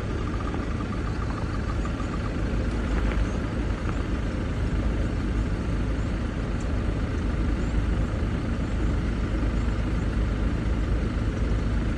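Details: Steady, loud rumble of a vehicle engine fills the whole recording.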